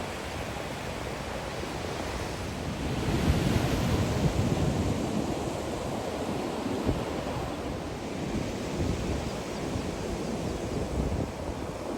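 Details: Steady surf and wind rumble throughout, with no animal calls audible.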